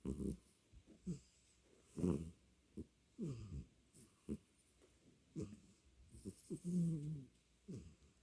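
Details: A snoring domestic cat named Beom produces a run of uneven, grating low snores and snorts, some drawn out with a wavering tone, packed closely across eight seconds with brief pauses.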